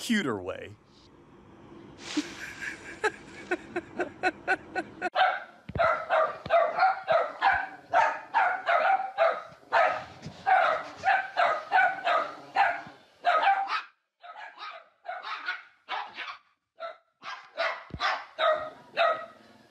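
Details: Dog in a funny dog and puppy compilation: a long run of sharp, high-pitched yapping barks, about two each second for roughly fifteen seconds, following a brief burst of speech at the start.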